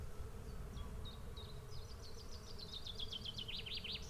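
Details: Bees swarming in a dense, low, continuous hum. A bird sings above it, starting with short chips and building into a quick, rising, repeated trill.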